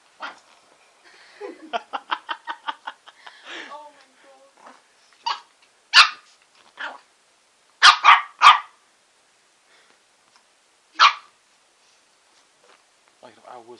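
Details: Bubbles, a female Shih Tzu kept as a pet, reacts to a lollipop with a fast run of short high yips, then a few louder isolated barks spaced by quiet gaps; soft human voices in the background.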